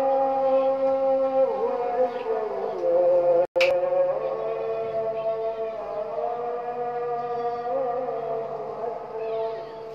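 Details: Dawn howling from Robin, a Samoyed, joining the call to prayer: long siren-like notes that dip and rise, then settle into a steady held tone, with a sharp click midway.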